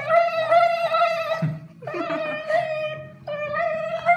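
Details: A Siberian Husky "sings" after anesthesia in drawn-out, wavering howls that hold a fairly steady pitch with slight rises, in three long phrases broken by short breaths, with faint indoor room noise beneath.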